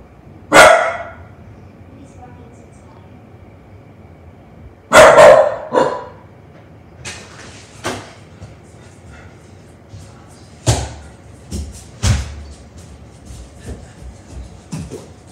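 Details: Young pet dog barking at the doorbell indoors: two loud, sharp barks a few seconds apart, then scattered quieter clicks and knocks and fainter thumps.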